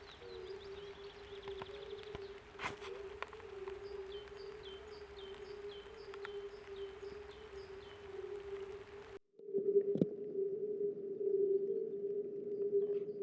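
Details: A spring chorus of European fire-bellied toads, possibly mating, calling unseen from pond reeds: soft, mellow overlapping 'oop' notes forming a ringing, bell-like drone peaking near 400 Hz, audible 100-200 m and undisturbed by noise; faint high chirps, probably birds, early on.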